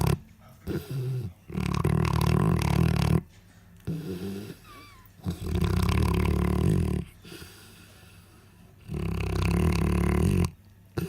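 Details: Sleeping Central Asian Shepherd Dog (Alabai), a nursing bitch with six-day-old puppies, tired and full after a meal; heavy guttural snores of two to three seconds alternate with softer pauses, loud and low-pitched.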